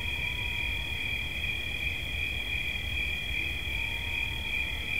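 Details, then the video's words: Crickets offered as relaxing sounds keep up an unbroken, shrill pulsing trill at two close high pitches over a soft low rumble, with a faint slurred tone at the start and end. "Świerszcz. Dźwięki relaksacyjne"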